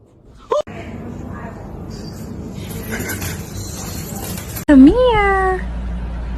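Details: Domestic cat giving a single drawn-out meow, rising then falling with clear harmonics, after several seconds of indoor room noise and a short sharp squeak near the start.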